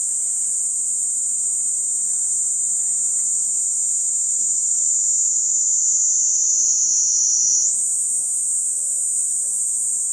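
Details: A cicada's sustained, piercing buzz-whine, level at first, drifting slightly lower, then stepping sharply higher near the end; faint low rumble beneath.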